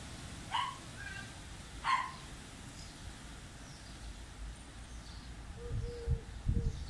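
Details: Small Münsterländer named Málna, waiting patiently, gives two short sharp yelping barks about a second apart, then goes quiet over a low rumbling background, with faint thin whining tones near the end.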